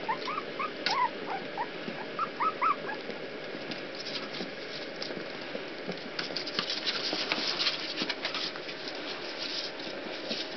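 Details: Several puppies escaping a pool let out brief high whimpers and squeaks early on, followed by a long stretch of scratching and scrabbling noise over steady background hiss.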